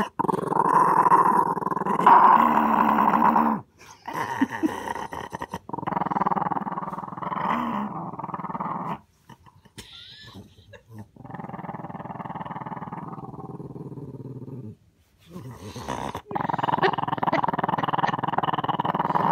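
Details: Small dog growling in long rough sustained bursts, each lasting several seconds with brief pauses between, a low rumbling snarl filling a small indoor room.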